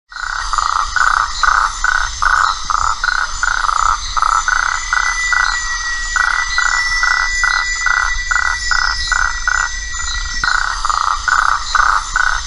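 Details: In the Atlantic forest at Una, Bahia, Brazil, in February 2004, a frog gives short, rasping croaks in quick, steady succession, with a thin insect hum behind.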